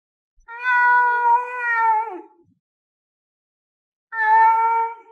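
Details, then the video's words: Lynx giving two drawn-out, tonal, meow-like calls. Each is steady and slightly wavering, and the second breaks off abruptly. There is clean silence between them and no other sounds. "Sons REAIS de LINCE"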